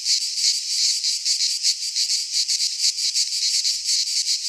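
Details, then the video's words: Pine-forest cicadas in Greece during midsummer: a bright, grating buzz pulsing quickly and rhythmically, a constant insect wall of sound without other voices. "Cicadas singing in midsummer"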